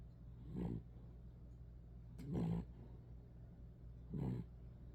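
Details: A tired little poodle sleeping and snoring: three low, rough, rasping snores roughly every two seconds, with a constant low hum underneath.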